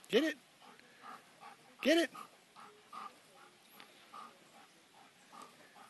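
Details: Pet German Shepherd dog at home during play, giving two sharp, loud barks about two seconds apart, followed by softer, quieter repeated sounds roughly every half second.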